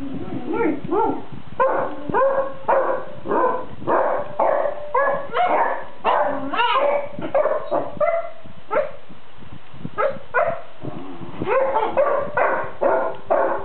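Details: Several Basset Hounds, including a white-and-lemon female, grumbling at each other while sleeping: a steady run of low, nasal moaning grunts and whines, rising and falling, packed a little under a second apart, throughout.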